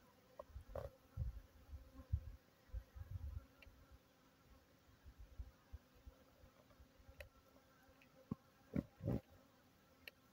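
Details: Honey bees drinking water supplied to them during a drought: low droning wingbeat hum with loud irregular bursts in the first few seconds and again near the end as bees fly close, a fainter steady buzz between.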